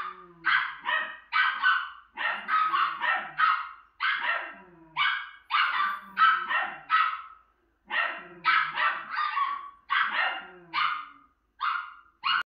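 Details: A female Miniature Schnauzer watching herself on TV barks steadily: bright, rapid barks in runs of three or four, about twenty-five in twelve seconds, with faint low TV sound in the background.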